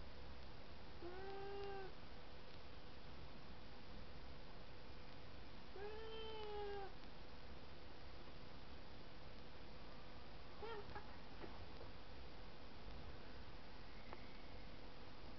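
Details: Two pet cats, Kopi and Horlicks, fighting on a cat tower indoors, Kopi attacking Horlicks on the high ground: two drawn-out, slightly wavering moaning meows about five seconds apart, then a short cry and faint clicks over a low hum.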